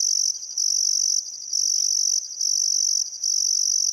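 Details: Crickets chirping on a still summer afternoon at sunset beside the Barcoo River in Welford National Park, Outback Queensland, Australia: a high, steady shrill trill broken by short pauses roughly every second, with faint birdcalls beneath.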